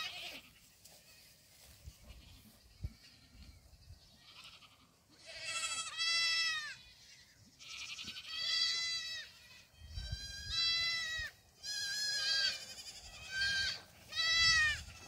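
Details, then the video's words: Black goat kids dashing around a farm in Gimhae, South Korea; after a quiet start, five loud quavering bleats come roughly every two seconds, each a rich harmonic cry that dips slightly, with low rumbling between them. "흑염소 새끼들 질주본능"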